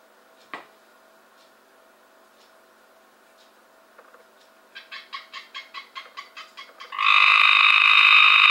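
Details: Cope's gray treefrog caught from a pool in 2015: a quiet lead-in with one click, then a run of short rapid pulses about four per second, building straight into a loud, continuous, grating buzzy trill.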